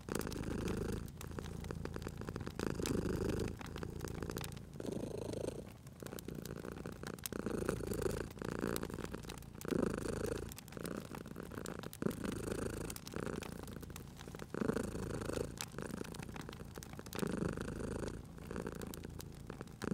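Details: Cat dozing by a crackling fireplace purrs in a deep, continuous rumble, rising and falling in breath-length surges, while the fire snaps and pops throughout.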